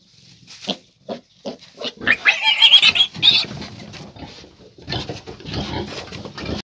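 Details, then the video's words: A 14-day-old piglet: a few short grunts at the start, then a louder run of high, harsh squeals in the middle, followed by rougher, noisier grunting and rustling. "14 დღის გოჭი"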